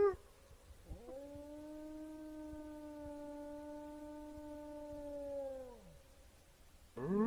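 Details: Wolf giving a single long, steady howl held level for about five seconds, then sliding down at the end, with a brief rising cry at the start and another beginning at the close; quiet background.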